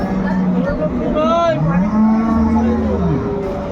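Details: Cows at Ambari Haat cattle market, Dinajpur, on 21 March 2025: a clear low moo that climbs then holds for over a second, following a brief higher call, with market chatter behind.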